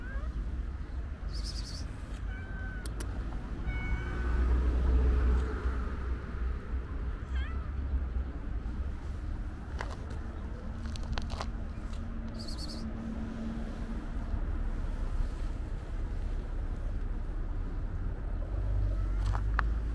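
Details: Stray white cat with a gray tail waiting near a kitten on the street, giving a few short, rising meows early on over steady low traffic rumble, with brief high bird chirps in between.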